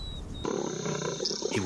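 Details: African lion, a lone male after fights over a pride, growling in rough, low harmonic bursts that start suddenly and continue unevenly, with a thin high whistle briefly heard before.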